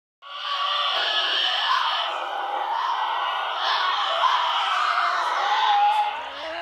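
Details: Tasmanian devils feeding at night growl and screech harshly and without pause, defending food while tearing prey apart and crunching bones, the dominant one finishing the remains first.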